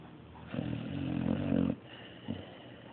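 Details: Dog called Mario snoring: a single drawn-out, throaty, vibrating snore lasting just over a second, then a brief soft snort.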